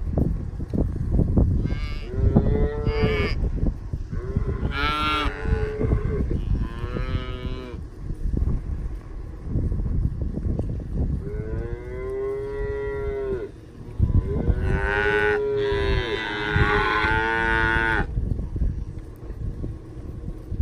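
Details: Herd of Charolais Cross, Red Angus, Beefmaster and crossbred cow-calf pairs, cows aged 2-7 years with calves 1-4 months old. Several long, deep, tonal moos, some rising and overlapping, over a steady low rumble and shuffling.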